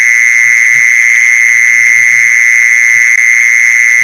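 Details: Short stretch of mole cricket calling used as a lure for mole crickets, a constant shrill buzzing trill without pauses or pitch change, soft low thumps barely audible beneath it.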